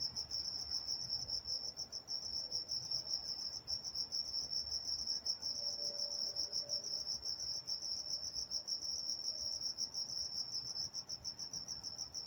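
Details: Crickets at night in Walnut, California: a steady, high-pitched pulsing chirp runs unbroken throughout, with a faint low tone drifting in briefly midway.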